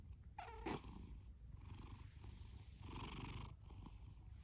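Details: Sleeping ginger tabby domestic cat, a male born October 2019 and adopted from a rescue shelter, purring and snoring loudly indoors: a brief whiny squeak, then a steady low rumbling purr.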